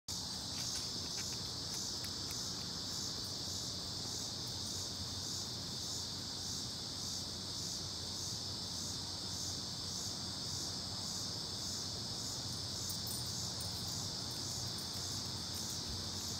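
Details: Cicadas in Ames, Iowa, in 2018; a steady, dense high-pitched buzzing drone that holds unbroken throughout, with faint pulsing in the upper band and a low background rumble.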